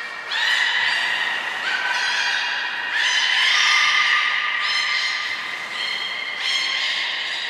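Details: Belugas Hodoi, Taanya and Mirai moving between pools and training at Port of Nagoya Public Aquarium, February 2021; a string of loud harmonic whistles steps up and down in pitch, each lasting one to two seconds, with barely any pause between them.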